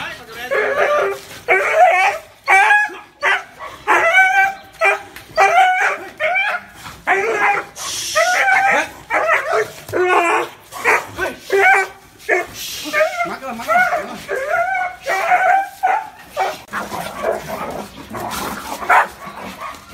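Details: Dog barking in a long run, described as fearsome, deep and warm: dense series of harmonic barks and yelps with bending pitch, brief noisy gaps between bursts.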